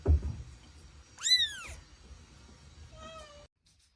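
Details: A cute kitten gives one high, harmonic-rich meow that rises then falls over half a second, followed by a shorter, softer, lower mew near the end; faint background hum throughout.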